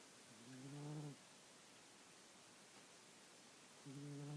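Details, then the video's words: A dozing domestic cat, Mr. Jigilo, known as Jiggy, giving two low, buzzy snoring breaths about three seconds apart, with soft hiss between them. "Snoring Mr. Jigilo the Cat"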